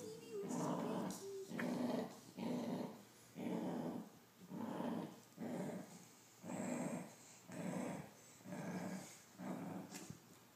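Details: Dachshund guarding his treats and not sharing them, growling in a rhythmic run of low, gravelly rumbles about once per second, each swelling and fading, about ten in all.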